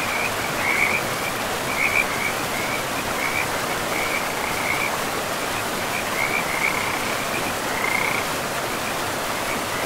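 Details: Forest river frogs give short, buzzy trilled notes at one fixed pitch, sounding in bursts every second or so, set against the loud, even roar of running river water.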